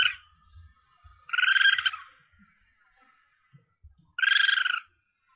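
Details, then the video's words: Young Asian palm civet, recording offered to hunters for luring prey. Two harsh, buzzy, pulsed calls, each under a second and rich in overtones, separated by about three seconds, with faint low thumps between them. "Suara Anak Musang Pandan"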